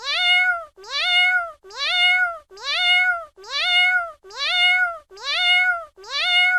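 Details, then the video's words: Steady run of matching cat meows, each a loud, tonal mew rising at the start then sustained, with brief gaps of silence between them. "Cat Voice Sound Effect | Cat Voice | Cat | Miaow Miaow"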